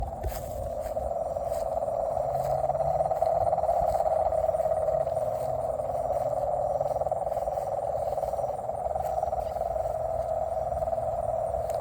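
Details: Frogs calling in nature: a dense, unbroken chorus of rapid pulsed notes in a steady mid-pitched band, swelling slightly around four seconds, with a faint low rumble underneath.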